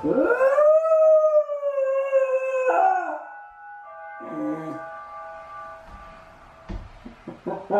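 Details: Shiba Inu Chame, clingy and lonely, left alone while Mame is walked, howls one long rising-then-level note, breaks into shorter wavering, fading howl fragments, then ends with brief yips and a few sharp clicks.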